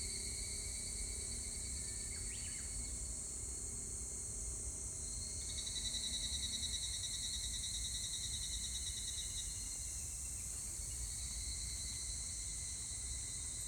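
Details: Evening cicada recorded 25 July 2019, its pulsed metallic trill swelling in the middle stretch and then fading, riding over a constant high hiss of other insects and a low background rumble.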